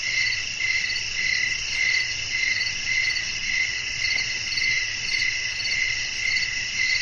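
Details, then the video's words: High ringing chirps of crickets on a night with wind, regular bursts about every half second forming a continuous pulsing chorus, with a quiet low rumble underneath. "บรรยากาศธรรมชาติยามค่ำคืน เสียงลมพัด จิ้งหรีดร้อง"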